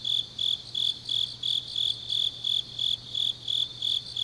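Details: Grass insects on a deep autumn night in Changnyeong, Korea: shrill, high-pitched chirps pulsing about three times a second, evenly spaced and steady, with a faint low hum underneath.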